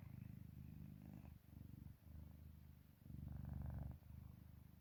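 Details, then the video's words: Sleeping house cat in deep slumber, its rhythmic purr or snore a low, throbbing rumble in four drawn-out phrases with short breaks between, one middle phrase noticeably louder. "골골송인지 코골이인지"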